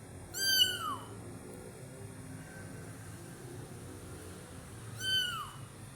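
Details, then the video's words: A kitten at Taman Asuhan Residential Complex gives two clear, high-pitched meows that bend downward at the end, one at the start and another about four seconds later, with quiet low rumbling in between. "Kitten MEOWING"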